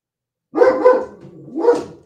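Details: German Shepherd barking in the background of a live morning show: two deep, rough barks close together, then a third bark after a short pause. There are no other sounds.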